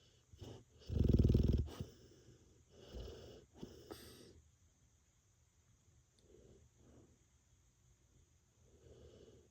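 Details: Ppippi, a large Labrador Retriever, snoring while asleep: one loud, rasping snore near the start, then softer, wheezy breaths at irregular intervals fading into quiet.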